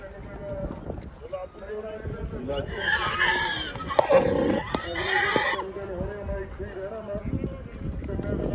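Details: Kathiawari horse named Paramveer from Gujarat, linked to Bhayla Stud Farm, Ahmedabad, newly arrived in Faridkot; a loud, rough neigh with wavering harmonics lasts about three seconds mid-clip, with men talking before and after.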